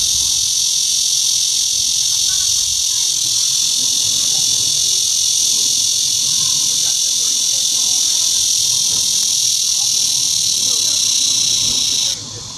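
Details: In September, a blackish cicada (Cryptotympana atrata) sings a loud, steady, high-pitched buzz without a break, slowly spreading its wings and raising its abdomen as it calls, then stops abruptly.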